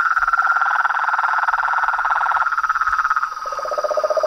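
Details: Frogs, toads and tree frogs calling in nature: a dense, fast pulsing trill at mid pitch runs throughout, joined near the end by a lower pulsed trill, with a thin steady high whine in the background.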